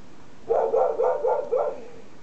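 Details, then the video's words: Female Siberian Husky barking at an odd object, a trash can, in her yard: five quick, fairly high barks in a tight rapid series, each with a short upward inflection, over quiet outdoor background. "Husky vs a trash can"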